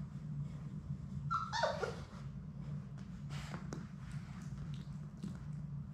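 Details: Labrador Retriever puppy from Sadie's litter of six, at play in an indoor play room on a live puppy cam; one short high whimper slides downward, followed by soft clicks and shuffling against a constant low hum.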